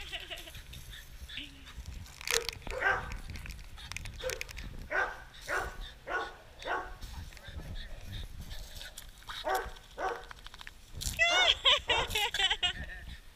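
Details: Dog named Torque romping with a hose at Bass Pet Resort, Kissimmee, Florida: a steady series of sharp, excited yelps about twice a second, rising into a denser, higher burst near the end over faint hiss of splashing water.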